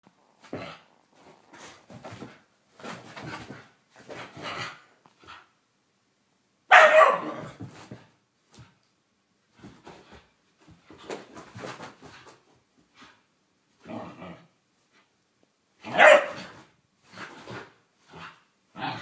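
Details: Blu, a whippet having a mad five minutes indoors, lets out bursts of short sharp barks mixed with growly grumbles, two much louder barks standing out near seven and sixteen seconds, in a small room.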